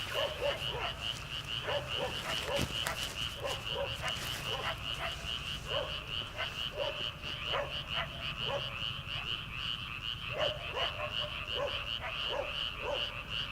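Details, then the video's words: Frog chorus from rice paddies in early summer at night, before rice planting: dense overlapping croaks with a steady pulsed trill high up and rapid clicking notes repeating throughout, many callers together, faint background noise. "초 여름 개구리 울음소리/ 논에서 들리는 개구리 소리"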